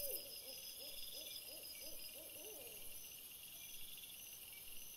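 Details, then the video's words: Red fox after sunset, 17 April 2021, trail camera: an immediate burst of short, arched, hooting barks repeated about three times a second for some three seconds, then quiet, with steady high-pitched camera noise throughout. "VOLPE dopo il tramonto"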